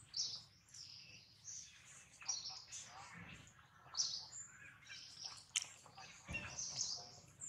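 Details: Loud crying from baby monkey Jinx, bitten hard by fellow monkey Jade: thin, very high wailing squeals repeated unevenly, with a soft steady hum and a few faint thuds.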